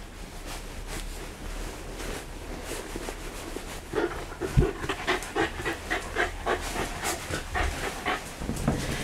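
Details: Shiba Inu panting at home during a pet-sitter visit in Yaizu, Shizuoka, Japan, 28 November 2015; quiet at first, then rapid breathy huffs come in quick uneven bursts over faint background hum.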